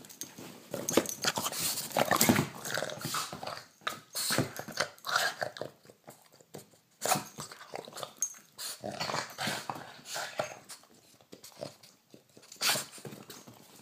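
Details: Indoors at night, a Boston terrier mouths and bites a hand in play; choppy, gravelly growling and huffing in uneven bursts with short pauses, alongside fabric rustling and handling sounds.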